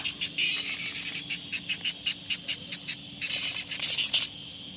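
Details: Cicada, described as a rain noise bug making a huge sound, giving rapid pulsed buzzy bursts high in pitch, repeated several times a second, with a louder, denser stretch near the end.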